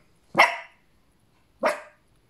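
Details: Two loud, high yapping barks about a second apart from a 15-week-old female Cavapoo puppy, with quiet between them.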